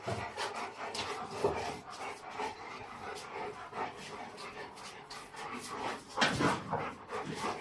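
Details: Boerboel at a kennel, heard in rapid, breathy panting with repeated short huffs across the recording, some soft whimper-like notes, and faint human voices in the background.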